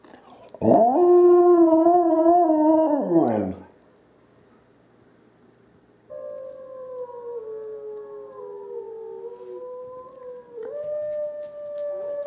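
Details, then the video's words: Dog Izzie howls back at wolves; a loud, quavering howl drops away after three seconds, then after a pause a softer, thinner, long-held howling tone rises and falls with overlapping voices, likely the answering wolves. "Izzie's ancestral blood answers the call"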